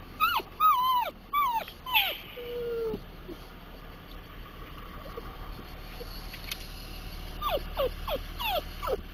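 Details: Dachshund that loves Timbits whimpering more as it nears them: high, whistly cries falling in pitch, in clusters near the start and again near the end, with a quieter stretch between.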